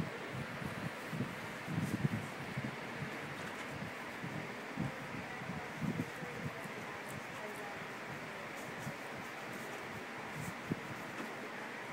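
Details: Outdoor wind noise buffeting the microphone, rustling, and faint low voices, with no animal sounds.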